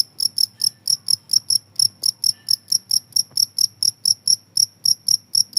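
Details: Shrill cricket song of evenly spaced, bright, ringing chirps repeated roughly four times a second throughout, with only a soft low background murmur.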